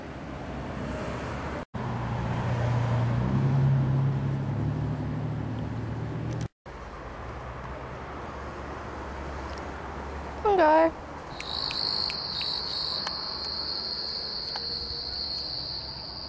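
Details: Pongo, a family pet cat, gives one short rising meow, harmonic-rich and under a second long, over a loud low rumble of vehicle-like noise, followed by a steady high-pitched electronic whine.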